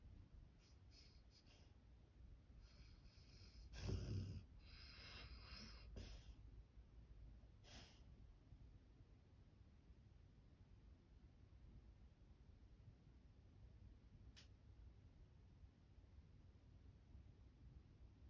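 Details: Black Labrador Retriever dreaming while asleep: a sharp snorting burst near four seconds, then a few softer huffs and quiet steady breathing in a still indoor room.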